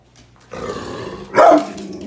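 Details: Pit bull with a toenail infection that returned after two weeks of antibiotics, indoors during training commands. A quiet low rumble is followed by one short, loud, rough growling bark burst near the end.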